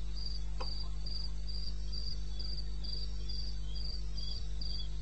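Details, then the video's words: Cricket in the wilderness of eastern Botswana, recorded 21 May 16 at 2:30 a.m.: high, pulsed chirps repeated about three or four times a second in a steady rhythm over a constant low hum. "1 Hour cricket sound"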